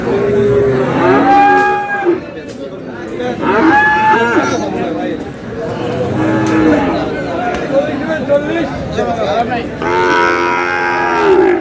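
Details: Bull calves of Friesian and cross breeds at Aftabganj market, Dinajpur, Bangladesh, 22 July: repeated moos of varying length, a few short and wavering, a strong drawn-out one near the end, with buyers and sellers talking prices throughout.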